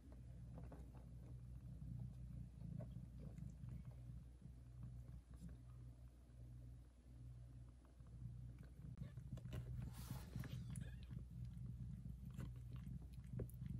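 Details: A nursing mother cat purring very loudly over her kittens; low rhythmic rumble pulses roughly ninety times a minute, joined in the latter half by louder rustling and handling noise.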